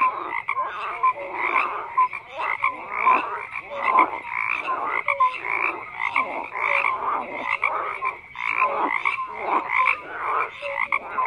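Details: Frogs croaking as a loud massed chorus, bursts of rasping croaks swelling and fading every second or so, with brief tonal whistle-like notes scattered through, nothing else audible.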